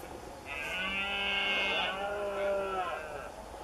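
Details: Red deer stag roaring during the September rut in a marsh near cork oak woodland in Doñana; one long, strained, harmonic-rich bellow of about two and a half seconds, rising and then falling in pitch.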